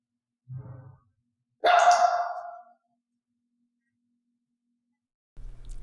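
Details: Elaine, a mystery-mix dog in clicker training where only loud, piercing barks are rewarded, lets out a single sharp bark, with brief low humming noises before and after.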